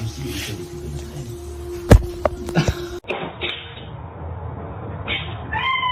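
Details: Domestic cat from a funny-cats compilation giving a short rising, harmonic meow near the end, after clicks and thuds in the first half, over steady background music.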